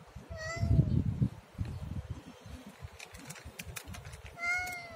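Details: Siamese cat giving two short, clear meows, one near the start and one near the end, each slightly falling at the close, over a low rumbling, thumping background.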